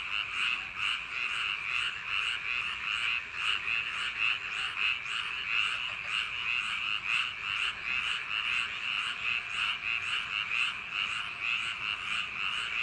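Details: Frog chorus on a summer night among paddy field embankments, many voices overlapping in steady rasping croaks that pulse in uneven waves throughout, a thick wall of calling with nothing else standing out.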